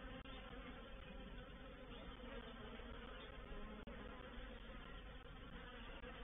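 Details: Honey bee reproductive swarm entering a swarm trap on 04/07/21, heard as a thick, unbroken buzzing drone that stays at a constant low pitch, with one sharp click midway through.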